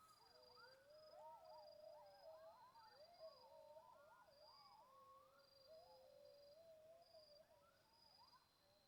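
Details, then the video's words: Night chorus of several coyotes in the Aquiares mountains: quavering howls rise and fall and tangle together, some climbing into higher yips, while crickets pulse intermittently high above in the dark. "Así suenan los coyotes en la montaña de AQUIARES."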